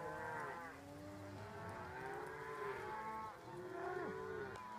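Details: Cattle herded by border collies directed with hand signals, voice commands and whistles: continuous overlapping low moos from several cows, long and droning, some bending downward at their ends.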